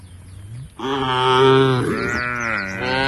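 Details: A member of a tame cow herd heading to a field beside the forest gives one long, steady, low moo lasting over two seconds, rising slightly in tone near its end, with a faint bird chirp above.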